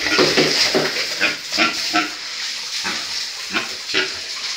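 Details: Farm breeding pigs grunting, with rough broadband bursts at uneven intervals, loudest at the start, set against continuous hissing background noise.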